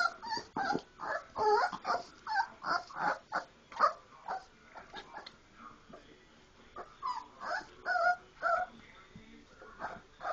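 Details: Four-week-old Labrador Retriever puppies playing after eating, a litter of several, making a mess; rapid irregular squeaky whimpers and yelps, about two per second, overlapping high cries from multiple pups.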